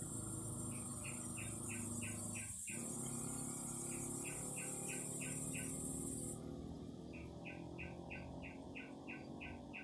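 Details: Singing cicadas: a bright, high, sizzling drone carries on for about six seconds, then cuts off abruptly. Short runs of evenly pulsed chirps come and go throughout, over a low steady rumble.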